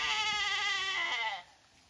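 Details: Zwartbles lamb in tall paddock grass on a County Kilkenny farm, Ireland, calling because it cannot find its mother, who keeps eating; one loud, long, harmonic-rich bleat falling slightly in pitch over about 1.4 seconds, then quiet.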